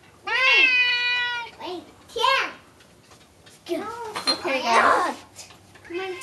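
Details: Pet Bengal cats at their food, unwilling to share. A long, steady, wailing meow opens, followed by short arched calls and then a rougher, noisier vocal burst, all indoors.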